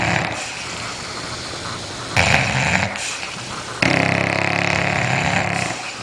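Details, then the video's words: Sleeping dog snoring loudly, harsh rasping noisy breaths swelling into two long rough bursts, the second louder and sustained for nearly two seconds, over a steady background hiss. "Funny dog snoring loud when sleeping"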